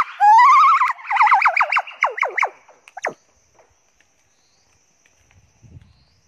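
A chimpanzee gives a loud rising hoot that breaks into quick wavering pants, then falls quiet.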